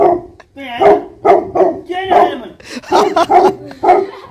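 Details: Tibetan Mastiff, a livestock guardian breed known in Nepal as Bhote Kukur, giving uneven, harmonic barks, some drawn out into yelping whines, with voices and other noise mixed in.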